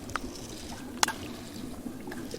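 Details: Male sperm whale rising from a deep submarine trench in the Gulf of California where depth drops from 200 to over 800 metres; sharp, dry broadband clicks, about four in under three seconds, against a low underwater background.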